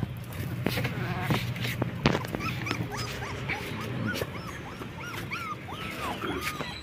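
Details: Black German Shepherd puppies, 20 days old, give a run of short arched whining squeals that rise and fall, coming several per second and thickening toward the end, over a steady low rumble with scattered clicks.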